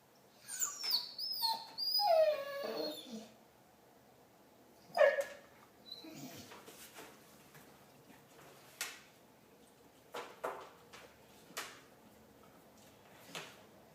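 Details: Marley, a pet dog, making a Chewbacca-like noise: high wavering whines and yowls sliding down in pitch over the first three seconds, a sharp squeak near five seconds, then quieter clicks and scattered soft sounds.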